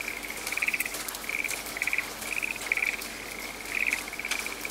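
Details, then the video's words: Frog voice in a forest under rain: a thin continuous trill broken by louder rattling bursts about every second, set against a wash of falling rain. "The soothing voice of a frog in the raining forest"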